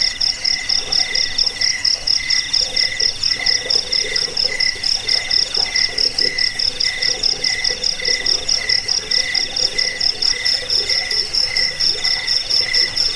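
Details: Cricket song meant for repelling rats, lulling listeners to sleep and tutoring cage birds: sharp high chirps come in quick bursts, with a pulsing lower buzz about twice a second and a faint continuous trill beneath.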